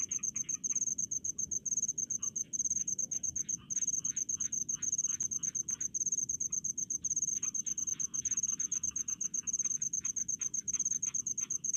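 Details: Rice-field crickets give steady high ringing chirps in fast regular pulses, barely pausing, while softer scratchy clicks from other insects patter underneath and a low background hum continues.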